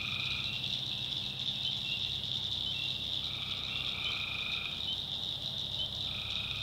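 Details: A night chorus of tree frogs from a North Carolina swamp, high and continuous, with overlapping lower trills rising in and out in quick succession.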